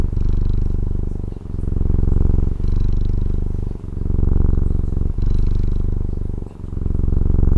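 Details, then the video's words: Domestic cat from Taiwan giving a relaxed low purr, rapid throbbing pulses that swell and ease with each inhale and exhale, breaking briefly about every 1.2 to 1.5 seconds; still, quiet surroundings. "Satisfying Cat Purring ASMR | Relaxing Cat Purring Videos"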